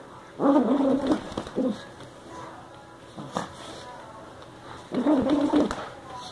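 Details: A Yorkipoo named Ming vocalizing during a tug-of-war game: two strong, tonal, wavering growl-whines, one near the start and one near the end, with brief softer sounds between them.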